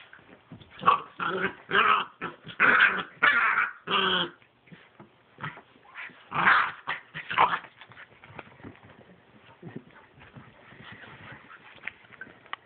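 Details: Two 10-week-old Pit Bull puppies, a brother and sister, play fighting; bursts of harmonic growling and yelping in the first half, then scattered short yips and softer grumbles over quieter background.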